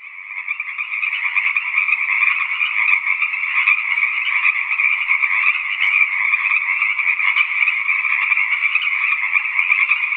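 Tree frogs call in a dense, steady chorus of rapid, pulsing trills that never pause.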